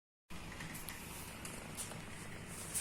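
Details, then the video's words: Mimi, a pet cat, snores loudly while asleep indoors: a low, steady rumble with pulsing low tones and a faint hiss above. Faint clicks show up near the end. "MIMI BOBONYA NGOROK"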